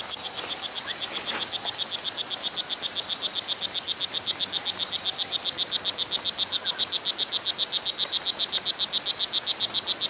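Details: At Hitoy Cerere Biological Reserve in Costa Rica, a strawberry dart frog (O. pumilio) calls in a long unbroken series of rapid, high, buzzing chirps, nearly four per second, growing slightly louder over ten seconds.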